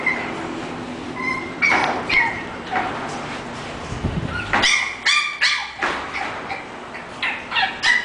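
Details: English Bulldog puppy giving high, harmonic whimpering yips in the first seconds, then a quick run of short, sharp yapping barks, several per second, through the second half. A faint steady hum sits underneath.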